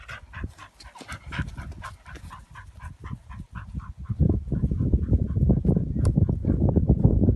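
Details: Croatian Sheepdog panting in quick, uneven rhythmic breaths, roughly three or four per second, with soft airy pulses that grow louder and denser in the second half; no barking.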